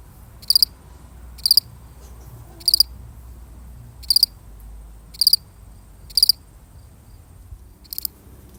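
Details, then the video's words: One solitary cricket chirping steadily, seven brief high pulsed bursts roughly one second apart, with quiet low rumble beneath. "The sound of one lonely cricket"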